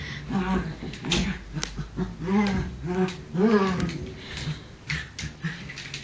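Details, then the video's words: Bunny and small Cookie, two dogs wrestling in play; short wavering growl-like vocalizations repeat rapidly over steady scuffling and rustling noise. "funny dog fight!"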